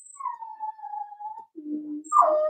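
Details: Whining from 4-week-old Cavalier King Charles Spaniel puppies indoors: a long, steady, high whine that droops slightly, a brief lower tone, then a louder, sharper whimper rising at the end.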